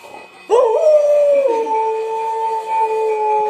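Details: Czechoslovakian Wolfdog recorded 17 October 2021 howling: after a short rising start, one long steady mid-pitched tone is held for about three seconds with a faint upper overtone and little change in pitch.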